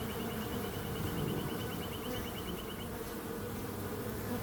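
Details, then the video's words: Continuous droning bee hum, thick and low throughout. A bird's rapid high twittering trill sounds over the first three seconds. "Relaxing Calming Bees Sound"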